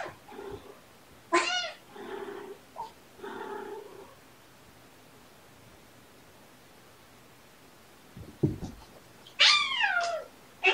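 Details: Playful kitten Button keeps pouncing on a littermate, who answers with sharp rising-falling harmonic squawks telling him to stop; softer muffled mews and scuffles early, a quiet gap, then two more loud squawks near the end.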